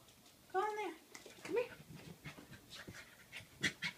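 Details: Chloe, a 3-month-old Corgi puppy seeing her reflection in a mirror for the first time, gives a couple of high, tonal yips, the second sliding upward, while a person talks.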